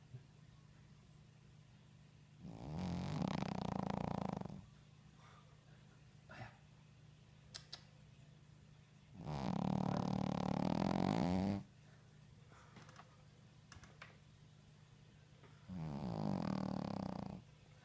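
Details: A sleeping Shih Tzu snores loudly, with long rumbling breaths every six or seven seconds.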